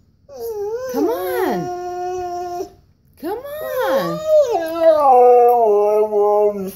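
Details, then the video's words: Siberian Husky named Koa whining to be taken for a walk, indoors: swooping rising-and-falling yelps followed by drawn-out wavering whines that slide down at the end. "Koa the Husky, whining and complaining!"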